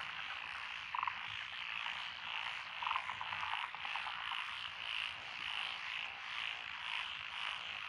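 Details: Night-style frog chorus over lotus rice paddies in Echizen, Fukui Prefecture, Japan, 12 June 2021; constant pulsing trill background, two loud near croaks around the first and third seconds, then a run of quick rattles.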